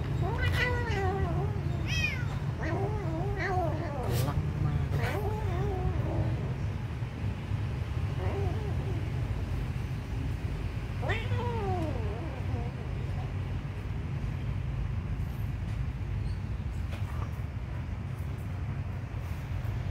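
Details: Kitten being fed, a cluster of short arched meows in the first seconds, then scattered single cries, with clicks and a continuous low rumble; the last several seconds hold only background noise.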